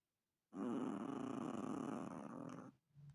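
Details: Chihuahua snoring indoors: one sustained rough, rattling breath lasting about two seconds with a steady buzzing texture, then fading, followed by a brief softer breath at the end.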